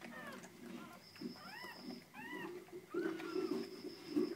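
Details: Purebred pedigreed Border Collie puppy, male number 03 from a litter born 4 October 2013 at VietNamAnh kennel in Vietnam, gives high, arched whimpering whines in short rising-falling bursts over a low murmur of voices.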